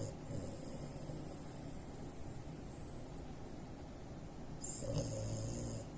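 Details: Loud snoring from a three-year-old French Bulldog x Pekingese mix sleeping with its eyes open; a faint rasp at the start, then one strong, grating snore near the end over a low background hum.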